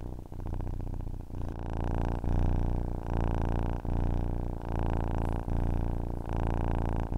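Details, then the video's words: A cat's purr to fall asleep to: steady deep rumbling in rhythmic inhale and exhale phrases, each about 0.7 seconds, separated by tiny pauses, with a calm silent background. "Ronronnement d'un chat pour s'endormir / Purring of a cat to fall asleep"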